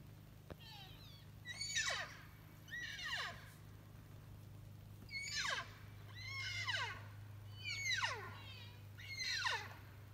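An elk calls again and again with thin, reedy squeals that start high and fall away. Each call lasts under a second, and a steady low hum runs underneath.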